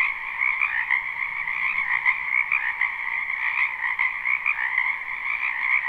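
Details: From a wetland behind a house in spring, a live unlooped recording of countless frogs croaking together, their rapid trills merging into an even, pulsing wall of sound.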